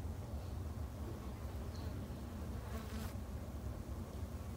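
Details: Japanese honey bees kept by a beginner garden beekeeper in Japan, producing a steady low droning hum that holds without break, quiet and even throughout.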